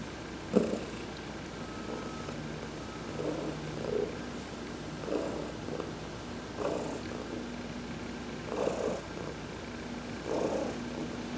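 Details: Heidi, an adopted house cat, purring as she is massaged during a sunbath, November 19, 2020; gentle rhythmic rumbling swells roughly every one and a half seconds, with a sharp tap at the start and light clicks.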